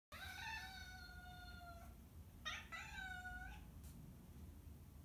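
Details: Domestic cat named Marten, indoors and feeling bored, gives two drawn-out harmonic meows: a long, slightly falling wail of nearly two seconds, then a shorter call that rises and falls. A steady low hum runs underneath.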